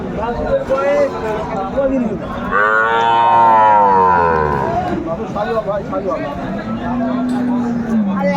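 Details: Shahiwal-type cows with calves at Aftabganj cattle market, Dinajpur, Bangladesh, December 14, 2024: a long loud harmonic moo swelling then falling around the middle, with a lower drawn-out call near the end, over market chatter and background music.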